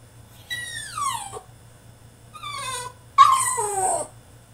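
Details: ['Caged French Bulldog in a tantrum, giving three drawn-out whines that fall in pitch, the last one loudest and strained, separated by short silences over a low background hum.']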